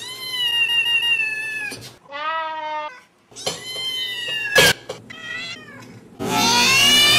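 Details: Domestic cats and kittens meowing, compilation of different voices: long drawn meows alternate with a lower, rising and falling cry and short choppy calls, ending in a loud harsh rasping meow.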